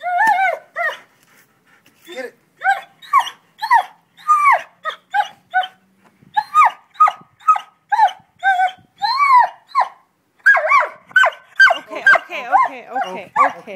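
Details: Pet dog digging in a garden; a long series of short, tonal whining growls and grumbles, some rising then falling in pitch, repeated roughly twice a second with brief pauses.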